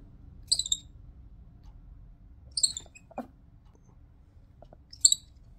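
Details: Wynstan, a pet baby Midas tamarin weighing a little over a pound, giving warning sounds: three very high, sharp double-toned chirps spaced about two seconds apart over a quiet room, with one faint low knock between them.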